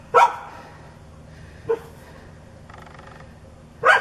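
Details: A neighbour's dog, foaming at the mouth and charging whenever its target turns away, gives three loud, sharp barks, two close together and one after a pause of about two seconds, over quiet background hum.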